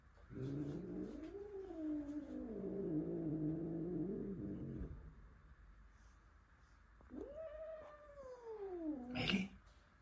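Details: Male house cat indoors, angry about a new male Russian Blue brought home the previous evening. A low, growly, wavering yowl lasting about five seconds, a pause, then a rising and falling moaning howl that ends in a sharp burst.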